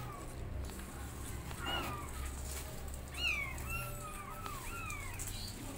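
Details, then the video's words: Kittens learning to walk with their mother cat meow loudly: a quick run of several high, downward-curving mews in close succession near the end, after a brief louder thump, with low background hum throughout. "Mom Cat Teaching Her Kittens How To Walk And They're Meowing Loudly"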